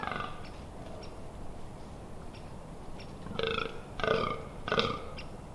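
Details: Fallow deer during the rut in October at the Amsterdamse Waterleiding Duinen, Netherlands: a few short, hoarse belching groans near the end, after a quieter stretch with faint birds.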